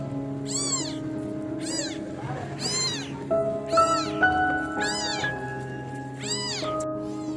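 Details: Stray female kitten alone in darkness with swollen eyes, crying for a mother who never came: six loud, arched, wavering meows roughly one per second, with soft music playing underneath.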